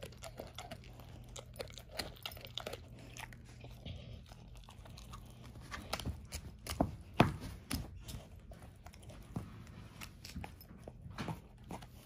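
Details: Ava, an elderly German Shorthaired Pointer aged 13, crunches through a whole dehydrated turkey wing indoors at breakfast. Uneven bursts of cracking bone and wet chewing come about twice a second, loudest mid-clip, over faint room hum.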